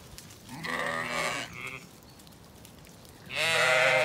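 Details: Zwartbles ewes and lambs on a farm in County Kilkenny, Ireland, bleating as they are let out on a mild, windy day and head to the orchard; two harmonic, wavering bleats, one short and one long, with wind behind.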